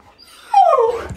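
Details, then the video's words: Siberian Husky named Key, a pet indoors, copying a washing machine: one loud sliding whine-howl that falls smoothly in pitch over about half a second, with a brief rumble at the end. "Weird Husky PERFECTLY Copies Washing Machine!"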